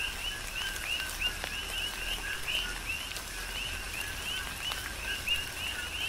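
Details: Coqui frogs calling during a tropical rain shower on the Big Island of Hawaii, a rhythmic chorus of quick two-note calls, a lower note then a higher upswept one, repeated many times over steady rain patter.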